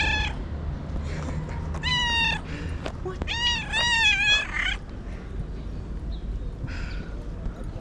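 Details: Domestic cat meows meant to attract other cats: a rapid run of loud, wavering meows, several rising then falling, some drawn out, over a rumbling low background hum.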